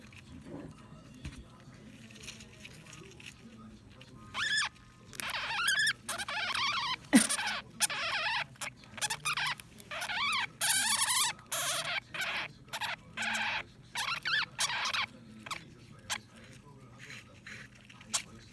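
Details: Pet blue sapphire dwarf hamster squeaking while guarding its food: a long run of rapid, harsh chittering squeals and rasps, closely repeated with brief gaps, over faint rustling and a low background hum.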